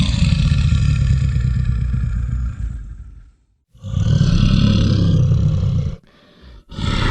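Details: Brown bear roaring: a long, deep, rough roar heavy in low rumble lasting about three seconds, a short pause, then a second harsh roar and a brief final burst.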